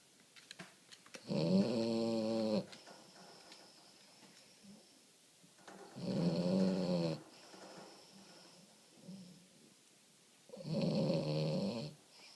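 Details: Omochi, a pet French Bulldog, snoring indoors while asleep: three loud, rasping, harmonic snores roughly every four to five seconds, each about a second long, with softer wheezy breaths between them in a quiet room.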